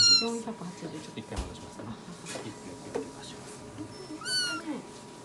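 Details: A rescued kitten about four weeks old, filmed on its vet check-up day, mews in thin, high squeaky cries, one at the start and a rising-then-falling one near the end, with soft indoor rustling and handling noises between.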